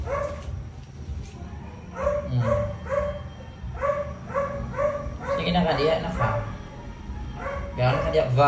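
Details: Crying pet Chihuahua gives rows of short, evenly spaced, whiny yelps while a woman talks to it, her voice overlapping the cries toward the end.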